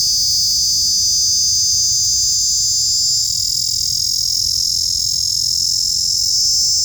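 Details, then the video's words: Loud creepy noise from a small insect: an unbroken shrill drone at high pitch that shifts slightly in tone partway through, with no other sounds. "Small Insect that makes this loud creepy noise!"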